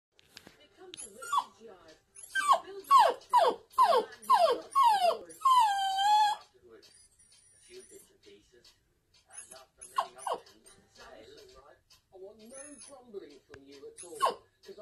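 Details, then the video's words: Apricot female toy poodle indoors, crying as she watches her owner and her brother, also a toy poodle, play in the back garden; a burst of rapid falling whines and a long howl, then quieter whimpers amid household noise. "Crying Poodle"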